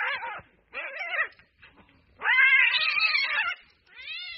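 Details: Cats fighting in the street exchange short arched wails, then a long, loud, strained yowl of more than a second, and a final rising cry.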